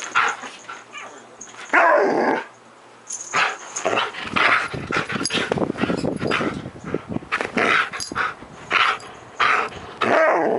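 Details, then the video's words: Nearly ten-year-old Siberian Husky spazzing out in the morning: loud rough barks, growly grumbling and yips overlapping almost continuously, mixed with scuffling noise. "10AM...Time To Spazz Out"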